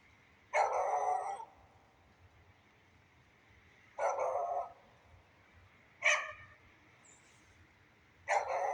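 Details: Beagle dog out in the rain, giving loud, rough single barks spaced about two seconds apart against continuous rainfall hiss.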